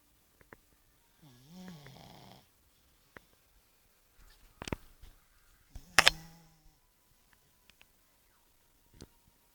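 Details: Bosya the pug snoring indoors: one drawn-out, wheezy nasal snore lasting about a second, with a wavering pitch, followed by sharp clicks and rustles, then near-silence.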